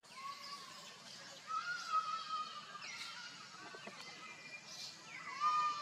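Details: Baby monkey crying after an accident caused by its careless mother: drawn-out, whistled tonal wails with rich overtones, some level, some gently rising or falling, given in several bouts with faint background noise between them.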